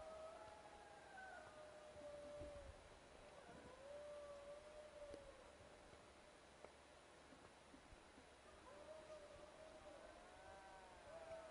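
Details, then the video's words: Wild dogs howling at a camp: long, drawn-out mid-pitched wails that waver and slide, overlapping voices rising and falling over about eleven seconds, with a steady low hum of background noise. "Wild dogs howling at camp"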